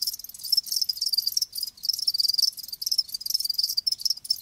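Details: Crickets, live, chirp in fast high-pitched trilled bursts of about half a second to a second. Brief silent breaks near the middle split the pulsing stream into separate runs.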